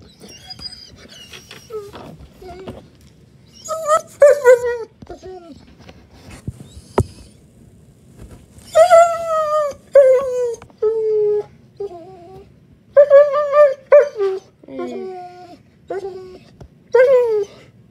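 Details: German Shepherd puppy crying indoors at bedtime, recorded 15 May 2021: a series of high, wavering whines and whimpers, some sliding downward, repeated in bursts with short pauses, over a faint low hum.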